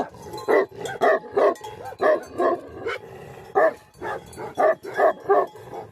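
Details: Tibetan Mastiff (Bhote Kukur), a guardian dog breed of Nepal. It gives about a dozen throaty barks in six seconds, often in quick pairs, with a clear pause midway.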